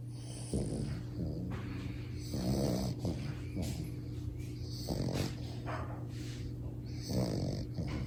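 A French Bulldog puppy snores loudly in rough, rattling breaths repeated every couple of seconds.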